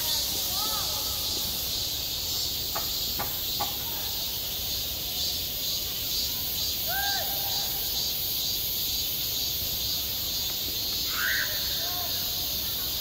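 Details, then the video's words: Cicadas sing through a midsummer day at a school playground: a dense, steady high-pitched buzzing chorus without pause, while faint distant voices rise and fall in the background and a few sharp clicks sound near the start. "한 여름 운동장에서 매미가 울고 있다 - 여름의 소리, 학교 종소리, 매미 울음소리"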